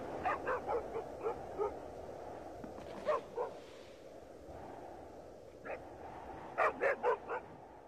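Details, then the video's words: Dogs barking in snow, in uneven bursts: a run of six short sharp barks, a lone double bark, a single bark, then a tight cluster of four loud barks near the end, over constant background hiss. "Kar ve Havlayan Köpekler"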